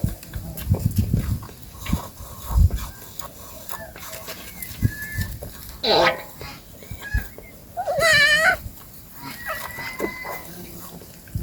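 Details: A family of goats eating in a forest, with two loud wavering bleats, the second longer and quavering, standing out over rustling, thumps and short higher chirping or clucking calls in the background.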